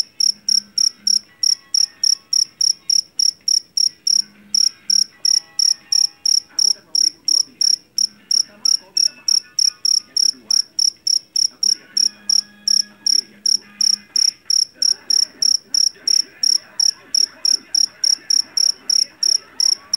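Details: Javanese field cricket (jangkrik jeliteng) caught in a rice field, noted for its loud voice: shrill, ringing chirps repeated steadily about three times a second, with faint background murmur and hum.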